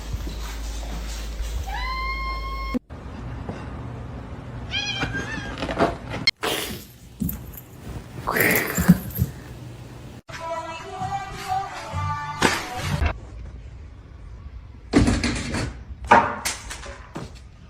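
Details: Domestic cats giving several drawn-out meows with bending, harmonic-rich tones, heard in separate short scenes divided by abrupt cuts, with thumps, scraping noises and brief human voices between the calls.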